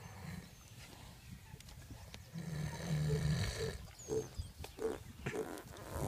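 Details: Young Gypsy Cob mare snoring while asleep after lying down in her hay to eat: a long, low rumbling breath followed by several short, rhythmic snorts about half a second apart, with faint background noise.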